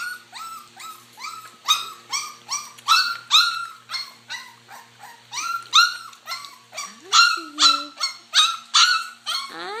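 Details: Several puppies eating mash give short, high yelping whines about twice a second. The whines overlap one another, with a low steady hum in the background.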